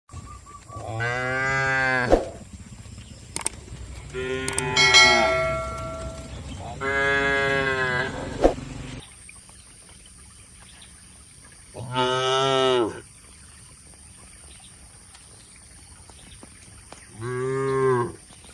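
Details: Tame cattle lowing inside a shed in a peaceful Indonesian village, five harmonic moos spread over the stretch, each about one to two seconds long, with a steady hum underneath.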